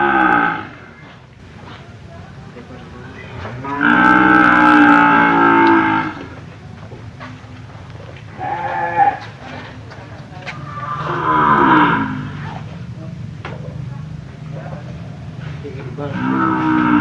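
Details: Cattle for sale at the Jonggol animal market give several drawn-out, harmonic moos, each lasting one to two seconds and spaced several seconds apart, with a low rumble of background noise and brief voices between the calls.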